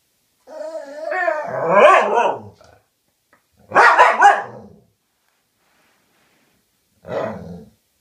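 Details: Dogs talking to each other: a drawn-out wavering moan sliding into a rough growly bark, then a noisy double bark, and after a pause a short low grumbling yelp.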